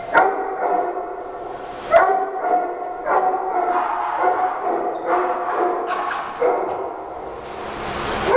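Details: Shih Tzu dogs indoors in a home pack, Heidi trying to protect Frida, a newly arrived Yorkie, and a playful fight breaking out. Sharp, ringing barks and yips come in bursts about every one to two seconds.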